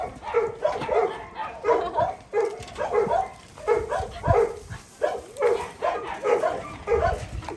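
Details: Puppy giving a steady run of short, whiny yelps, about eleven in under eight seconds, each a brief harmonic cry repeated at an even pace, with no other clear sounds.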